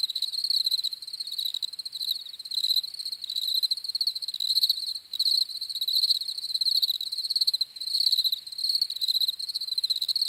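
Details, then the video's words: Loud, continuous cricket chirping: bright pulsed trills in clustered bursts, several crickets overlapping into a steady night-like chorus. "CRICKETS CHIRPING SOUNDS"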